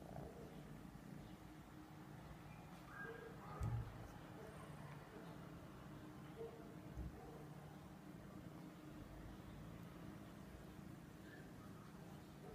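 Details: Persian cats cuddling, a low steady rumbling purr running throughout with faint soft rustles and a brief thump near the middle.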